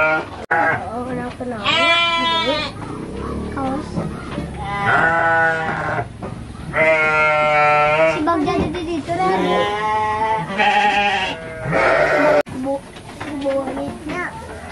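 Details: Garut sheep at the Dangiang breeding farm in Cilawu, Garut, West Java, during a ram-fighting gathering: several long, wavering, nasal bleats rise and fade between stretches of human talk.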